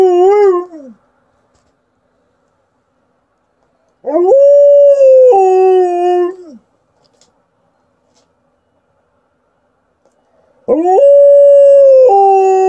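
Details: Female Alaskan Malamute showing off her howling: long, loud, tonal howls with rich harmonics, each rising then holding steady and sliding down at the end, three bouts separated by several seconds of silence.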